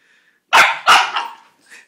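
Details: Bulldog named Cedric barking during rough play with his uncle indoors, after being told to speak: two loud, harsh barks in quick succession, then a fainter trailing yelp.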